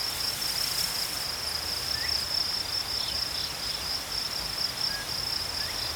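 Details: Cricket chorus in nature: an unbroken high-pitched trilling band holding steady throughout, with faint scattered higher chirps early on over soft background hiss.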